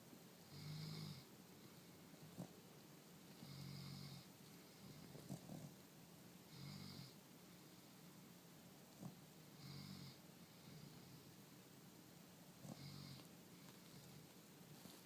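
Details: Sleeping male Corgi snores in low, rumbling bursts about every three seconds.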